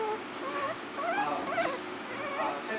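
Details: Four-week-old Miniature Pinscher puppies from a new litter playing; high wavering whimpers and squeaky whines rise and fall several times in quick succession while a woman talks in the background.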